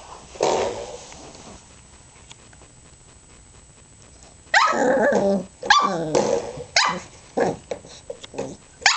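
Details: A three-month-old female Pembroke Welsh Corgi puppy, teething and playing indoors with a spring doorstop. An early sharp yelp is followed by quiet, then a burst of rough, throaty barks and growly yaps in uneven quick succession.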